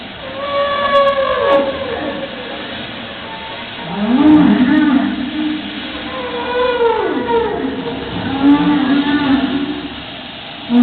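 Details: Whale calls: long moaning tones and sweeping upward and downward glides with rich harmonics, some sliding smoothly between low and mid pitch, rising and falling over several seconds in a steady underwater hum.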